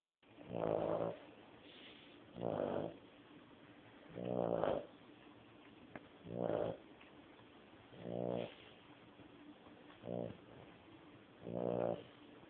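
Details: A 14-year-old dog snoring loudly while asleep: deep rasping, pulsed snores roughly every two seconds, seven in all, with quiet breathing between them.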